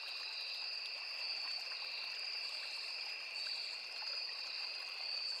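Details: Forest crickets near a small river keep up a seamless shrill double-toned buzz that never pauses, backed by a gentle steady wash of flowing water.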